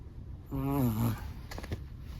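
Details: Sleeping Chihuahua giving one low, buzzy, tonal snore about half a second long that sags slightly in pitch, then a few faint soft clicks and a quiet steady hiss.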